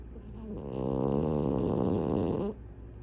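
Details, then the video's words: Sleeping French Bulldog, eyes open, lets out a single drawn-out vibrating snore of about two seconds, rough and low, then silence. "Cute French Bulldog Snores with eyes open."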